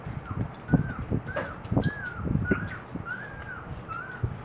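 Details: Two-day-old Boxer puppies with mother Eve during morning feeding, repeated thin squeaky cries rising and falling roughly twice a second, mixed with thumps, shuffling and suckling noises.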